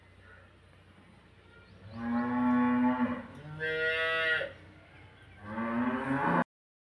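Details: Female Holstein Friesian in her second calving, six teeth, at Udumalai; three loud, deep harmonic moos: a long steady first call, a shorter second, then a brief third, over faint background hum.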